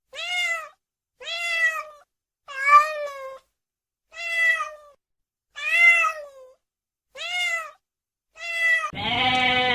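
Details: Domestic cat meowing: seven clear, drawn-out meows, each slightly arched then falling, repeated roughly every second and a quarter in a quiet room, cut off at the end by a sudden burst of music.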